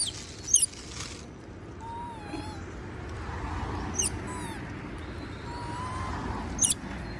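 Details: Moby the monkey asks for food as others eat peanuts, giving drawn-out, wavering whistled tones with faint higher harmonics, broken by a few sharp clicks, over a constant low rumble.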